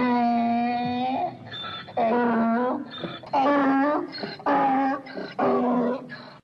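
A donkey brays in a series of loud, harmonic-rich bursts with a steady, hoarse tone.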